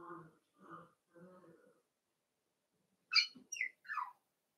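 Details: Cavalier King Charles Spaniel puppies playing indoors in a home puppy pen: three short moaning whines spaced about half a second apart, then a pause and a quick burst of three sharp, high yelps that slide downward.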